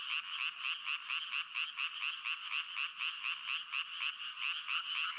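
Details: A frog chorus of fast, evenly pulsed croaks, each short burst repeating about twice a second over a constant bed of overlapping rattling calls.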